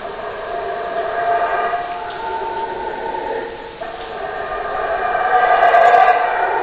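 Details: Howler monkey howling in a continuous, rough, droning chorus that swells and fades, with a louder surge toward the end and no other clear sounds.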